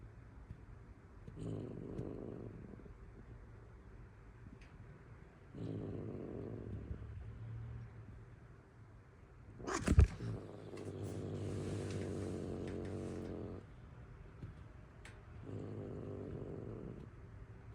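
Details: Angry cat giving low, throaty growls in several bouts; midway comes a sharp spit followed by a drawn-out breathy hiss over a continuing growl, then more growling.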